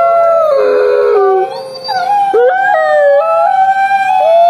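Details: A chorus of grey wolves giving whining howls. Several overlapping voices slide up and down in short wavering phrases. They break off and restart, and one brief lower dip is heard partway through.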